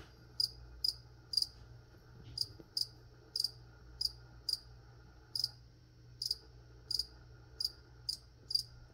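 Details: Cricket chirping during a plant-spraying session: short, high, bright chirps repeated irregularly about every half second to one second, with brief gaps, over a faint steady low hum.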